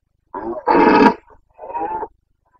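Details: Carpathian red deer stag in the Bucovina mountains of Romania, breeding season, 29 September 2022; a short groan, then a loud, raspy roar lasting nearly half a second, and a weaker drawn-out bellow after a pause.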